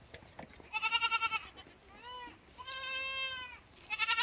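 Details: Lamb bleats in quick succession: a loud trembling, quavering bleat, then two steadier drawn-out nasal bleats, and the start of another tremulous cry at the end.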